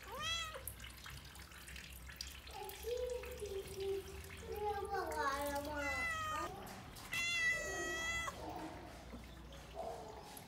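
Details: Brown domestic cat with a short meow at the start and a longer, wavering meow later, separated by human voices and running water.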